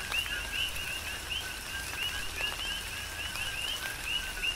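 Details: Rain falls steadily on the Big Island of Hawaii while a group of coqui frogs repeats bright two-part whistles, the second part rising sharply, several calls each second overlapping, with distinct raindrop taps.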